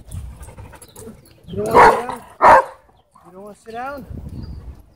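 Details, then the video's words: Husky frantically crying for help at a dog park: after two loud harsh bursts come short wavering, whiny cries that rise and fall in pitch, over low rumbling background noise. "Husky Frantically Crying For Help"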